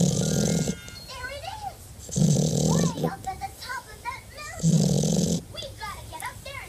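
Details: Deaf French bulldog snoring in loud rasping bursts of about three quarters of a second, recurring roughly every two seconds, with a higher wavering voice or melody weaving through the gaps between snores.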